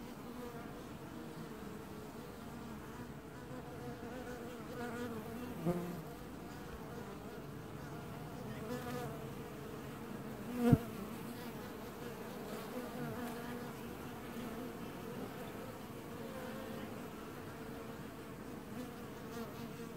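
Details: Honey bees of a single apiary colony washboarding at the hive in early July 2019: a steady, dense low hum with a mid-pitched tonal band, a faint thump near five seconds and a sharp click near eleven seconds.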